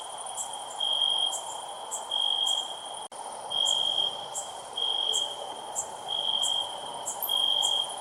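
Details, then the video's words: Cricket chirping loudly in regular pulsed bursts roughly once a second over a constant high ringing tone, with brief high clicks between bursts and one sharp dropout near three seconds. "Cricket Chirping Sounds"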